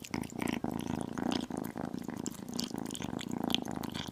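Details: Tiny kitten purring while eating chicken and beef: a continuous low, throbbing rumble in rhythmic pulses, broken now and then by soft chewing clicks and small licking sounds.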